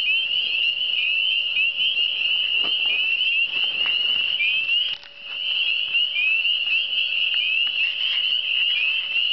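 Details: Many frogs calling together in the Eastern Townships: continuous high-pitched trilling chorus with overlapping rising notes and scattered soft clicks, briefly thinning and quieter near the middle before swelling back.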